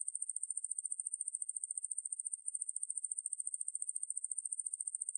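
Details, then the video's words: High, sizzling insect trill from the katydid Ruspolia lineosa, recorded by the National Institute of Biological Resources in 2020: rapid pulses, roughly fourteen each second, run evenly with a brief stumble in the middle and a clean background. "왕매부리, 여러번 듣기, 곤충소리"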